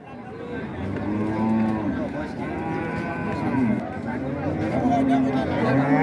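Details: Cattle at a busy cattle market in Raniganj, Dinajpur, Bangladesh, 2025, giving low drawn-out moos over background chatter, a passing vehicle and bargaining voices.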